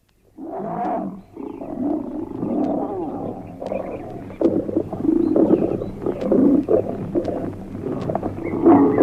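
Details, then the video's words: Lion in Kenya roaring from time to time at night to proclaim territorial rights over the area where it lives. Deep, rough, drawn-out roars give way to a run of shorter grunting bursts that grow louder toward the end. "Hemos explicado muchas veces aquí que el león ruge para proclamar sus derechos territoriales sobre la zona donde vive."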